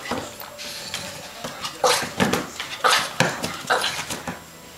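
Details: A Boston terrier pesters a Bernese mountain dog. The two dogs get along well. A run of short, sharp, irregular barks comes in bursts about a second apart, with softer yelps between them and faint background clatter.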